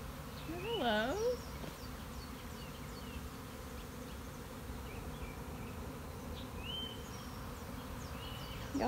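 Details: Honey bee swarm recorded March 26, 2021: a continuous low, rough buzzing roar throughout, with a woman briefly speaking near the start and again at the end, and faint distant bird notes.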